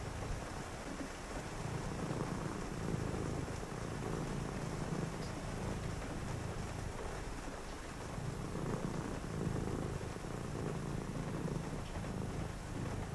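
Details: Pet cat purring steadily through a rainy night, deep rhythmic throbbing in long breath-paced phases, with soft rain noise filling the background and faint clicks.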